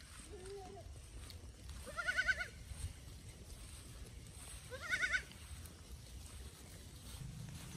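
Goat kids bleat in brief, quavering cries, with a fainter call near the start and two stronger ones about three seconds apart. A low rumble of background noise runs underneath.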